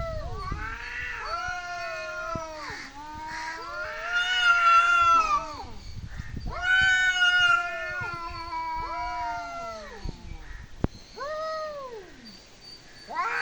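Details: Cat uttering strange, loud, drawn-out yowls with wavering pitch, separated by brief pauses, ending with a shorter falling meow.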